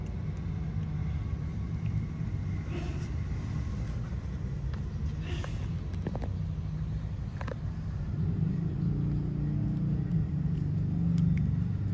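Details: Steady low rumble of passing cars and street traffic with a few faint clicks, and no animal voice.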